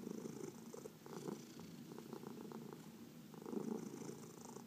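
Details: Massaged pet cat purring, one of four cats in the household; soft fluttering purr with choppy, broken pulses in the middle and a stronger rumbling burst near the end, otherwise quiet.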